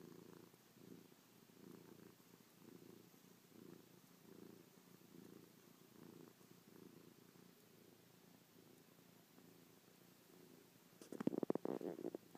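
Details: Affectionate domestic cat purring while kissing, pawing and licking its owner's face after sleeping on the owner's back all night; steady pulsed low rumble throughout, then a brief louder rustling burst near the end.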